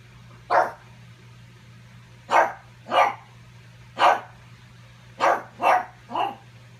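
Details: Pug barking at its reflection, trying to steal its ball; seven sharp barks at irregular intervals, several in quick succession near the end, with a constant low hum behind.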